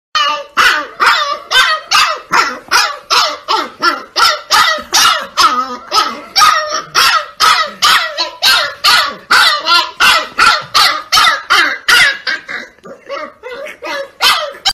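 A husky puppy yaps in a fast, steady string of high, sharp barks, begging to be fed.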